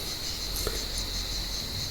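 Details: Cicadas in an olive tree on a warm evening at sunset, giving a continuous high buzzing drone under a hiss of background noise, with a brief rustle or click partway through.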